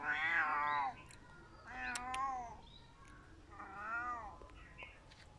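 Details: Crying domestic cat producing three wailing meows, the first loudest and longest, the next two softer with bending pitch, spaced about one and a half seconds apart, with sharp clicks or taps between them.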